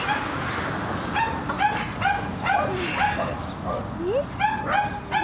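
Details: French Bulldog giving repeated high yapping barks, about two per second with brief gaps, one rising whimper among them, over a steady background hiss.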